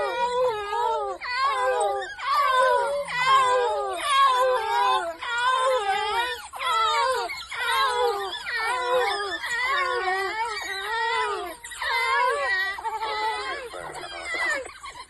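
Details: A pack of African wild dogs with growing young, active during a game drive at Ruaha, gives high, wavering, bird-like twittering calls, with several voices overlapping in quick bursts.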